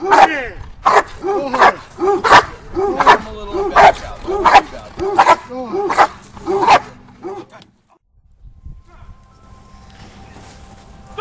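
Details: Doberman Pinscher during Schutzhund protection training, giving about eleven loud, sharp barks roughly every 0.7 seconds, then falling silent for the last few seconds, with faint background noise.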